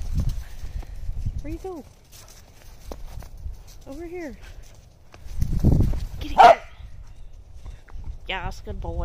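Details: Playful corgis chasing thrown balls in the snow bark in clear, tonal yips with falling pitch, single ones then a quick wavering run near the end, with snow crunching and one loud burst between.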